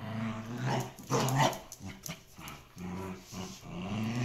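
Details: Dogs growling while playing tug of war indoors in the Netherlands, Shiba Inu and Samoyed kennel; deep, throaty growls broken into short uneven bursts, rising louder around the middle.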